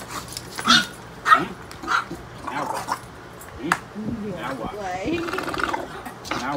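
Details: English bulldog growling and grunting while playing with its owner, rough throaty bursts every second or so, then a longer wavering growl, with a man's voice and household noise.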